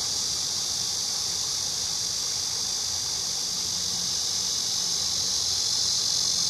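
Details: Steady high-pitched cicada buzzing, a continuous sizzling drone that swells slightly toward the close, with a faint low background hum.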